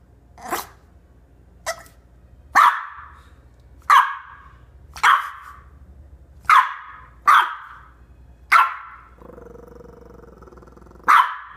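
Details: Tui, a female French Bulldog puppy in her coat after playing in the snow, gets a fright from her hiccups and barks: about nine sharp, short barks at uneven intervals, then a low growling grumble before a final bark.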